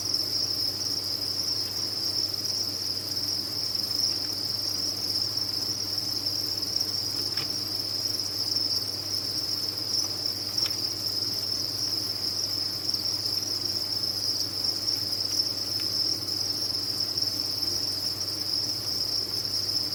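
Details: A cricket farm's crowd of kept crickets makes an unbroken shrill chorus, its even high trill unchanging from start to end. Three faint clicks break through, with a soft low hum beneath.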